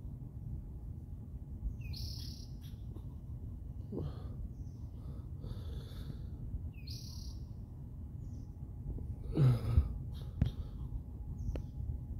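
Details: Squirrel calling from a pine tree on the UCLA campus at about 8:42 in the morning: short, high, squeaky chirps in small clusters every couple of seconds, faint against a steady low rumble of background noise.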